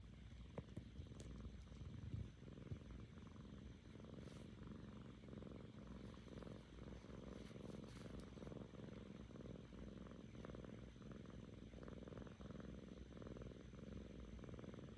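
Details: Seven-month-old female domestic cat named Kkami purring because she is happy, the Korean 'golgol song', after recovering from ear mites; a steady low rumbling purr with rhythmic pulses throughout, plus a few faint clicks and rustles.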